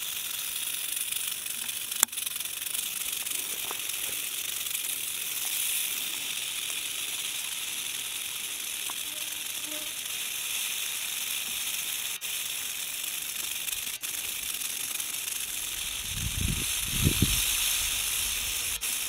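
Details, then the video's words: Continuous high, hissy rattling of a western diamondback rattlesnake ready to strike, with a few sharp clicks and a brief low rumbling thump near the end. "Western Diamondback Rattlesnake ready to strike"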